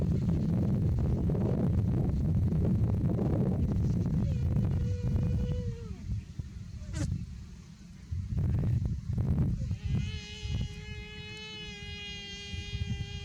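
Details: Buffalo calf, said to be too hot, gives a long harmonic call near the end. A shorter, lower bleat comes earlier. Heavy wind rumble runs throughout.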